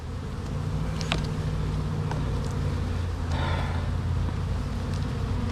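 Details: Bees at a hive being inspected, with wonky comb and a sugar-water feeder: a deep continuous buzzing drone, even in level, with a few faint higher flicks of wingbeats passing close.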